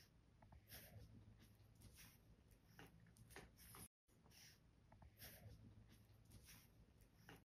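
A French Bulldog makes short squeaky snorts and wheezes, oddly like a guinea pig's chatter.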